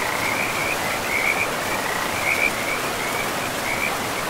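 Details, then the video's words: High, short trilled croaks from frogs along a river in pristine forest, roughly one burst per second, partly masked by the strong steady roar of flowing water. "River and Frogs sleep sounds"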